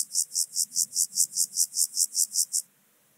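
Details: At Obir, Austria, on 30 July 2022, an Alpine grasshopper gives loud, evenly spaced, high hissing syllables, about thirteen in a row, before stopping abruptly into near silence.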